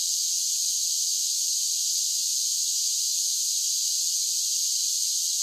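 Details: A summer chorus of singing cicadas: a constant piercing electric-like buzz at steady volume, with only a faint low hiss underneath.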